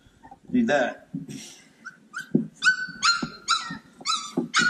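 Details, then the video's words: Cane Corso puppies playing, several high thin yips repeated about every half second with a clear ringing pitch, mixed with low grunting scuffles and a person speaking softly. "Bunch of Yipping Puppies!"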